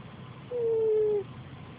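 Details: Single drawn-out whistled snore from a sleeping cat, a clear tone lasting under a second and gliding gently lower, with faint low hum behind.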